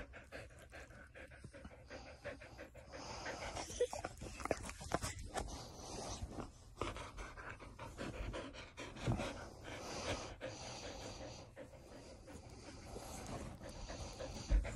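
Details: A Border Collie, as it behaves every morning, pants in long runs of quick, rasping breaths that rise and fade, with a few snorts and handling noises.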